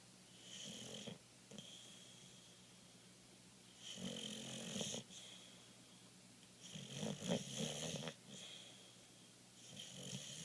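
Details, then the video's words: Sleeping Boxer dog named Rasta snoring in an uneven rhythm, raspy wheezing breaths recurring every few seconds with a louder cluster around seven to eight seconds. "Rasta the Boxer snoring"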